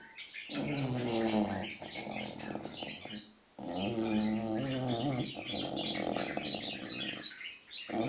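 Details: English Bulldog puppy, six months old, snoring in its sleep with three long, gravelly, throbbing breaths. A dense chorus of chattering, tweeting birds fills the background the whole time.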